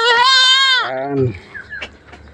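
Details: Goat on a backyard farm, during vitamin and deworming care for thin animals, gives one steady, nasal bleat under a second long that drops sharply in pitch at the end, followed by faint background noise.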